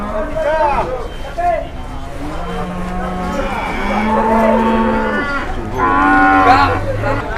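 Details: Two large cattle in Indonesia, out of their pen for the first time and queuing for the weighing scale: drawn-out low moaning tones mixed with loud overlapping human chatter and shouting nearby.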